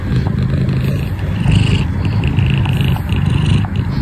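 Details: Domestic cat purring right at the microphone, a continuous deep vibrating rumble that rises slightly in loudness midway and stays steady to the end.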